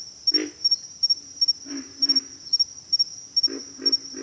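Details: Pig frogs giving low, rough grunts in short clusters of two or three, scattered across a few seconds, over a steady high-pitched chirping of crickets pulsing in quick pairs.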